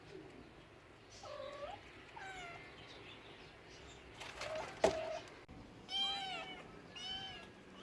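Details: Cat meows come in short separated bursts: two lower mews early, a loud click midway, then two high, steeply arched meows close together.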